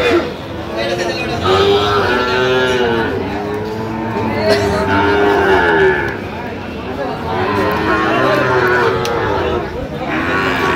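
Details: Sahiwal bull calves at a Bangladeshi cattle market, mooing in a series of rising and falling calls roughly every few seconds, overlapping with people bargaining and crowd noise.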